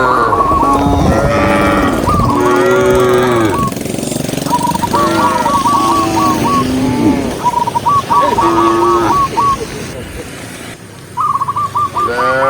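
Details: Herded cows on a peaceful countryside road low repeatedly in deep, wavering moos, alongside recurring fast whistled trills and some steady road or engine noise underneath.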